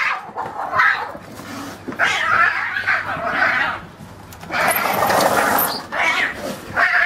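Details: Cats fighting, giving drawn-out, wavering yowls that rise and fall in pitch, broken by short pauses, with a louder, harsher stretch of screeching near the middle and another yowl starting at the end.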